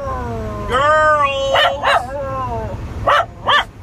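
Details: Homesick Wire Fox Terrier howling when prompted by its owner: a long wavering rising-then-falling tonal howl followed by several short yelping barks at even intervals.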